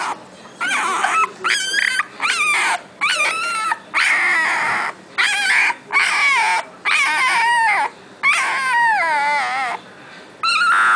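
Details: Boxer puppy already howling: short, bending yelps and whimpering howl attempts in quick bursts about once a second, each broken by brief silences, with high bright overtones.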